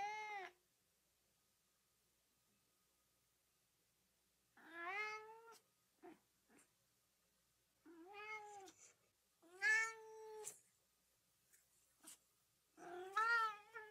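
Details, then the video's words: Cat calls played to excite dogs: after a long silence, a series of uneven meows, some short and clipped, others drawn-out and loud, with brief clicks between, irregularly spaced. "RUMORI GATTI PER CANI"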